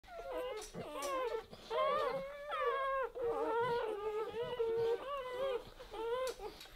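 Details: Newborn Weimaraner puppies, zero to four days old, squeal and whimper in overlapping high, wavering cries, several voices calling over one another in quick bursts with brief pauses, a steady chorus of thin, rising and falling squeaks.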